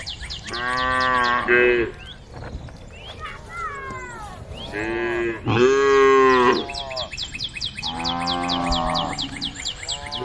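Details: Cattle on the road to the barn, calling the herd: three long, rich moos with strong harmonics, each about a second or more, separated by pauses, with a few thin higher squeaks in between.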